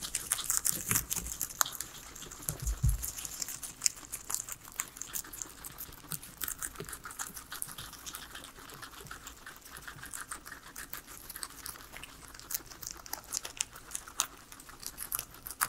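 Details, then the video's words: Three pet guinea pigs eating their veggies and salad indoors, recorded with no talking or music: scattered crisp crunching and crinkling clicks throughout, thicker in the first two seconds, over a quiet room background. "asmr guinea pigs eating veggies"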